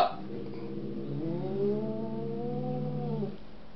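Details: Two domestic cats squaring off indoors, one visiting for the week; a long, low, drawn-out growling yowl that swells and slowly rises in pitch before cutting off after about three seconds.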